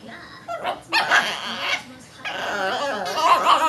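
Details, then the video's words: Chihuahua named Patsy freaking out with excitement over a crazy ball indoors: high, harmonic yelping and whining bursts, one short cry followed by longer strained wails, with human voices and music in the background. "the cutest Chihuahua freaking out over crazy ball"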